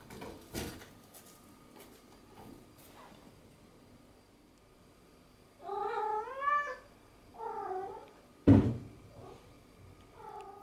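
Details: Pet cat at play with a sponge cube voices a long, wavering, rising-and-falling meow followed by two shorter mews, with a sharp knock in between and soft tapping sounds indoors.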